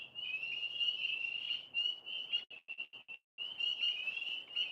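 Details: Frogs heard outdoors as a dense, high, vibrating trill. It breaks into short choppy bursts midway, then resumes steadily. A faint low hum sits underneath.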